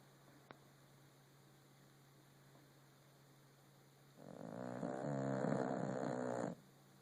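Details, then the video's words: Rescued French Bulldog sleeping indoors: after a quiet stretch with a steady low hum, a single drawn-out rattling snore lasts about two seconds, then fades back to the background hum. "French bulldog snore"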